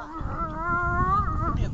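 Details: Tashik, a dog at training on 26 August, holds a steady, tonal howl that climbs slightly and then levels off before fading, with a low background rumble throughout.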